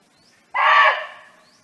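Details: Wild barking deer, roaming freely and calling its friends, gives one short, loud, raspy bark that cuts off abruptly, then a quiet fading background.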